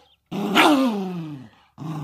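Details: Choco, a chocolate poodle, growls to guard its treat while its snack time is interrupted; one grumbling sound opens noisy, then slides steadily downward in pitch over about a second, followed by a short second grumble.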